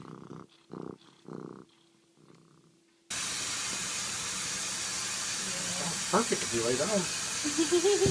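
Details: Purring house cat, rumbling in three or four short raspy bursts before a loud steady hiss of background noise takes over, with faint wavering tones that may be mewing.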